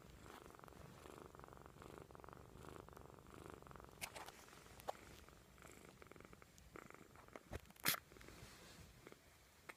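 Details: Snoring of a kitten sleeping soundly after tiring itself out, a low purring rumble that pulses with each breath, later broken by a few sharp clicks and a brief rustle.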